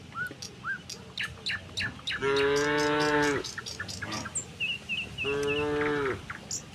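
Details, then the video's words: Two drawn-out, rich moos, the first about a second long and the second a little later, from a tame cattle herd walking to the pen from a neighbouring village, with bird chirps and tapping sounds around them. "suara sapi moo"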